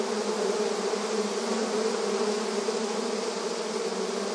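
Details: Honey bees active in front of their beehive entrance, rural setting: a dense, continuous buzzing drone of many bees with steady hum bands low in pitch and a broad hiss above, no gaps or pauses.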